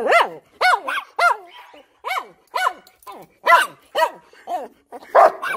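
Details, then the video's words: German Shepherd barking excitedly while annoying its puppies; a rapid series of sharp harmonic barks, roughly two per second, each with a downward-sliding tail, fairly steady through the recording. "Funniest German Shepherd Barking & Annoying My Puppies"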